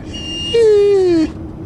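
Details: A single slowly falling howl lasting under a second from Liam, a singing Irish Wolfhound, over a faint low hum.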